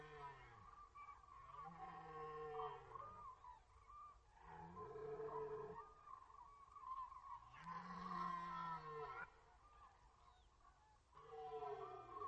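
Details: Archival rut recording of red deer on the Orzysz training ground: a sequence of repeated deep, hoarse roars, each about one to two seconds long and separated by short pauses, with several bellows overlapping in places.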